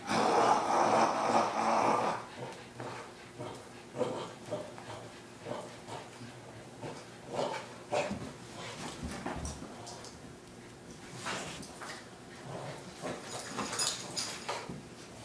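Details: Boston Terrier growling and snorting while playing tug-of-war with a rope indoors; rough bursts of growls and snorts recur irregularly, with a louder stretch at the start and scuffling noise throughout.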